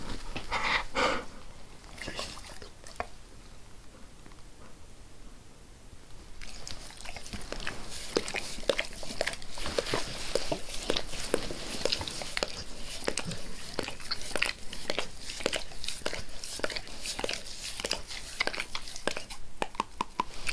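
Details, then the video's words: Max the dog licks his owner's face indoors, calming and growing less forceful as he is petted; a quieter stretch early on, then steady wet smacking licks about twice a second, uneven in rhythm, no talking. "Max Licks | Face Part Tres | ASMR DOG LICKING"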